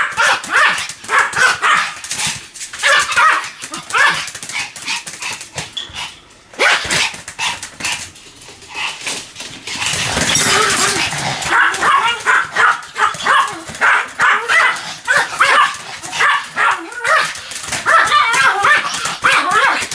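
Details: Continuous barking by Sam, a Pomeranian: long series of rapid, sharp yaps, pausing briefly mid-way with a rushing noise before the quick barking resumes in dense runs.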